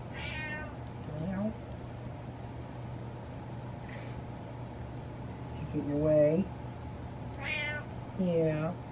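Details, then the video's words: Indoor meowing from the male cat Butters, whose meow changes when he gets his way. Bright meows come in bursts at the start and near the end. Between them, a person talks and imitates lower meows over a constant hum. "Cat Gets What He Wants By Meowing"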